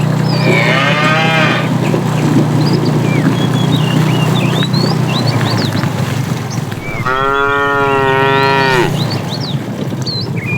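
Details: Tame cattle herd starting morning activity, roaming in search of food: two long harmonic moos, one near the start and one louder near the end, over steady low rumble and chirping birds in the background.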